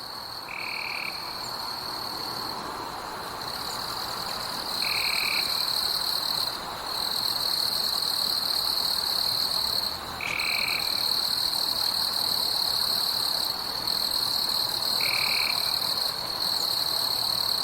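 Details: At night in a forest, insects keep up a continuous high, buzzy trill with brief pauses, like crickets or katydids; about every five seconds a short, clear lower note sounds, possibly a frog.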